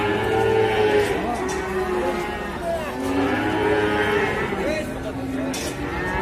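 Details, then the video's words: Jumbo-sized cow with a hurt, sore leg, lowing in long drawn-out moans whose steady harmonic tones overlap and swell through the clip, with faint background voices. "SAPI JUMBO KASIAN KAKI NYA SAKIT"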